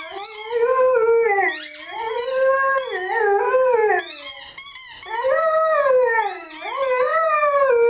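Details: Lyle, a Rhodesian Ridgeback, howls along with his favourite squeaky toy: long, wavering, rising-and-falling tones in repeated bouts, with high squeals from the toy above them.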